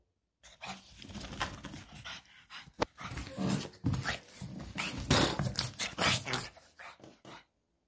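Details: Pug named Mitrofan, worked up during play and refusing to hand back a slipper, gives rough, snorting growls in irregular bursts for about seven seconds, mixed with scuffling and breathy noise; a person speaks briefly around it.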